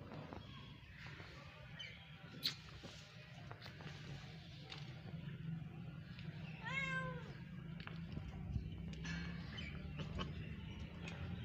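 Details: Two house cats, a little one and a big one, playing together; a single drawn-out meow with rising then falling harmonics near seven seconds, amid low steady hum, thumps and faint clatter.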